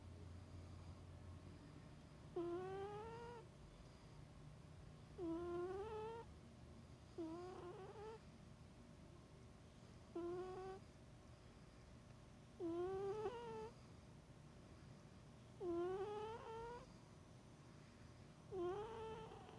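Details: Sleeping cat named Baq'a snoring, recorded 16 January 2016: squeaky, rising tonal snores with stacked overtones, one with each breath about every two and a half seconds, eight in a row, in a quiet indoor setting.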